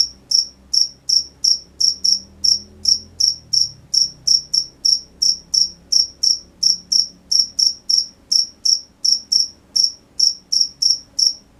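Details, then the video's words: High, piercing cricket chirps at night, evenly repeated near three per second throughout, with soft low rumbling noises in the background. "The sound of crickets at night"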